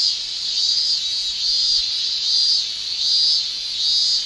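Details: Japanese summer cicadas, males producing a shrill, sizzling chorus that pulses regularly, a swell about every 0.8 seconds over a constant high whine.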